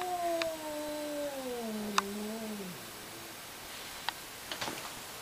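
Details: Yowling from two cats in a fight: one long, sliding wail that drifts gradually downward and fades out, followed by near silence broken by faint clicks and rustling.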